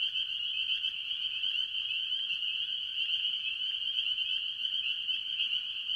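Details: Mostly spring peepers among various tree frogs at a farm pond in early year: overlapping high peeps merge into a continuous shrill wall of sound, even in loudness throughout.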